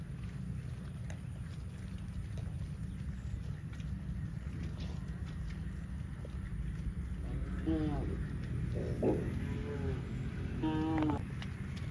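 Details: Cows running in the fields, giving a cluster of short, harmonic mooing calls in the second half, each a few rising-and-falling tones, over a constant low rumbling background noise.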